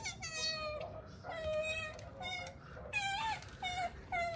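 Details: A pet otter gives a string of high, wavering whiny squeaks, each under a second long, some sliding upward, with short pauses between them, calling while swimming about between eating and sleeping.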